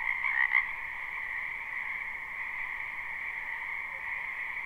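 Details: Many wild frogs croaking in a spring wetland, live unlooped recording: a dense, unbroken chorus forming two steady trilling bands, one mid-pitched and one higher, with a brief louder burst near the start.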